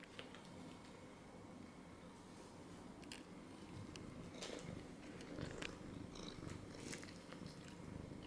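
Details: A domestic cat settled on a lap purring in a small room. The low, continuous rumbling throb is broken by sharp clicks and light rustles of movement, and it grows a little louder toward the end.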